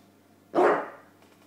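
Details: A single brief, forceful bark from James the bulldog during play with his pillow, sudden onset and quickly fading, in a quiet room.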